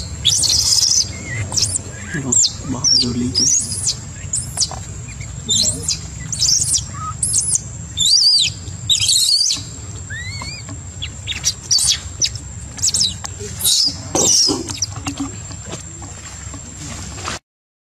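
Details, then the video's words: Baby monkey crying in panic after straying from its mother and being attacked by the troop: shrill, very high-pitched screams and squeals in rapid, irregular bursts throughout, with some lower sounds and background noise. "Khỉ Con Hoảng Hốt Gào Khóc Khi Bị Khỉ Đàn Tấn Công Khi Dời Xa Khỉ Mẹ"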